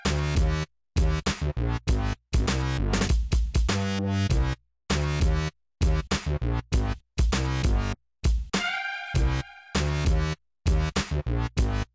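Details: Loud electronic dance music with heavy drum-machine beats and synthesizer stabs is cut by short gaps of silence.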